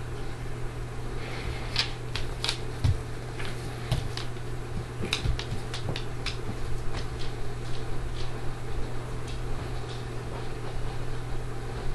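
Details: Indoor fan hum with metallic rattles and clicks of a crate latch being worked, no animal voice.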